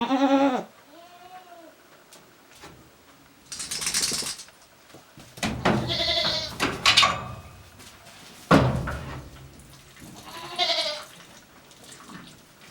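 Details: ['Goats resting in a shed while ruminating at a handmade goat farm in Japan, 29 January 2023; several wavering, harmonic bleats in separate bursts, one short opening cry, then longer quavering calls, with soft rustling between.']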